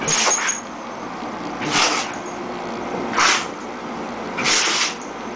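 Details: A dog named Jojo, female, unable to stop sneezing: four explosive, hissing sneezes spaced about one and a half seconds apart against a constant droning background hum.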